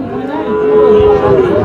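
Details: Sahiwal bull calf at the Ambari market in Dinajpur, Bangladesh, on 26 May 2025 during stormy, rainy weather. It gives a loud, steady, even-pitched moo lasting over a second, with market chatter behind.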